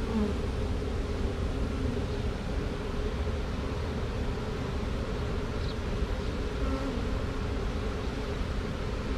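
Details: Swarm of honey bees, caught from a tree with two queens, marching across drywall into a box; dense continuous low buzzing hum throughout with faint higher chirps.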